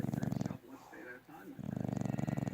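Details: Levi, a sleeping English Bulldog, snores in two loud, low, rasping bursts, each buzzing with rapid pulses. Between them, a quieter stretch holds a man's voice from a television in the room.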